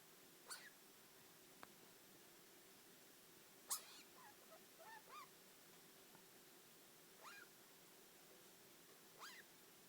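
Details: Pet degu Yui, aged four, mutters in a quiet room, giving scattered brief chirps and small clustered squeaks every few seconds, with a soft click or two between them and a constant faint hum behind.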